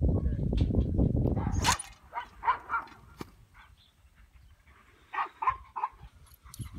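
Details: A two-year-old male English Pointer of Elhew lines, a started dog with a champion pedigree, barks. After a burst of rough handling or wind noise, three sharp barks come in quick succession, then a pause and a second series of three to four barks.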